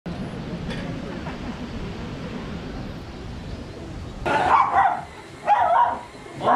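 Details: Miniature Schnauzer out on a walk near a flooded dog run, recorded April 2021: four seconds of quiet outdoor hiss, then two loud, rough barks about a second apart, followed by the start of a third.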